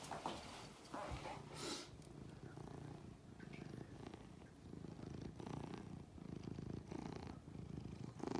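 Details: Benji, a pet cat, playing on a chair with its owner indoors; steady low rumbling purr runs continuously through the whole stretch, with a few brief rustling bursts and soft background noise.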